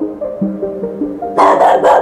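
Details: A soft stepping melody plays, then a stray dog, who comes nightly to bark, gives three loud, harsh barks a quarter-second apart at a boiler room door where a puppies' blanket was kept.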